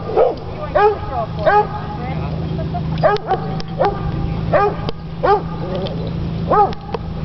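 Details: A coonhound at a dog park gives deep, resonant barks with a slightly baying ring, singly and in pairs at an uneven pace, while people chat over a steady low hum.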